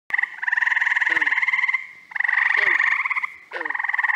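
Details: Frogs calling in the first week of June in upstate New York, spring and summer species overlapping: long pulsed trills with two bright bands, each lasting about one to two seconds with short gaps, plus brief lower croaks underneath.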